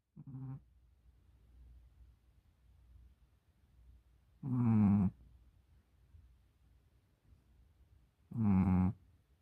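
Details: Tired Pomeranian dog sleeping while wearing a cone collar, snoring in three rough, low breaths spaced about four seconds apart, with quiet pauses between them.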